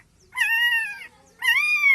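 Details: Street-dog puppies crying for their absent mother, a black puppy distressed and wanting milk; two drawn-out high whining cries, each about three-quarters of a second, slightly wavering in pitch, separated by a short pause, with a quiet background.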